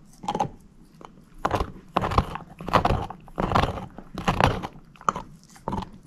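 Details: Shepherd mix dog named Moose eating a bone in a small room, steady crunching bites coming roughly every second, each a broad gritty burst, over a faint low background hum.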